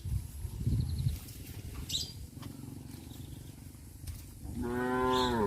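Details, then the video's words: Cows wandering freely through a village; after low rustling and a few brief clicks, a single rich moo begins late and carries to the end, its harmonics bending slightly downward. "Tame cows roam leisurely in the village - Sound of cows"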